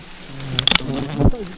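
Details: Bee colony whose nest hangs on an upright tree trunk, disturbed while the nest is being taken; a low, steady droning hum with a faint overtone, crossed by a few sharp clicks and a soft thump near the end.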